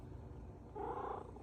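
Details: Domestic cat making an unusual vocalization its owner calls a "cuckoo kachu", a brief tonal warbling trill in the second half over a low steady hum.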